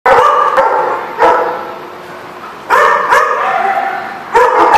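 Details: Dog barks at a place called the Barking Lot, recorded 4/10/14: loud, sharp, harmonic barks in short bursts of two or three, separated by pauses of about a second, each with a ringing tail.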